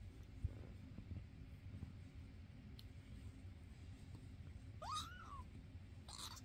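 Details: Foster cats indoors, a grown neutered male among two younger fosters, filmed May 22, 2024: after a near-silent stretch with faint thumps, one brief arched meow rises then falls near the five-second mark, with soft rustling afterward.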